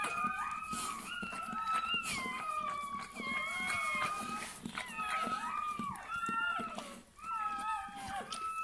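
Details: Freshly born Bernese Mountain Dog pup squealing insistently: high, wavering whines that step up and down in pitch, coming in quick bursts with short gaps.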